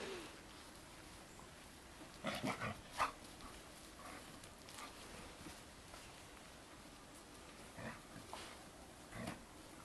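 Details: At nearly dark, black-and-white Bearded Collie puppies play and tumble in a garden alongside mother Topas and Gipsy; a cluster of brief, harsh yips and growls comes early on, followed by softer scuffles and faint noises over a low hiss.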